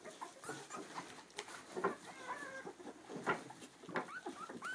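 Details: A litter of two-week-old Clumber Spaniel puppies with their mother gives scattered, irregular squeaks and soft grunts, with brief rising whimpers and a few louder yelps spaced across a quieter background.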